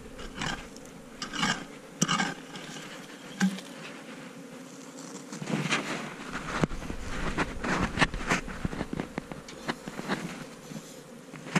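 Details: Asian honey bees in a cavity nest under a hut being dug out: a steady low buzzing hum runs beneath loud repeated knocks, scrapes and taps of digging, with a man's voice at times.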